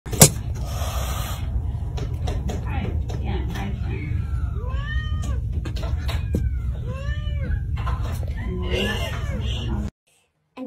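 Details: Angry domestic cat giving a run of drawn-out yowls, each arching up then sliding back down in pitch, several in close succession midway through, over a steady low rumbling background noise.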